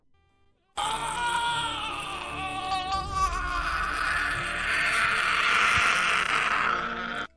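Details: No animal is heard, only a drawn-out human groaning wail over music. The voice wavers and rises before cutting off.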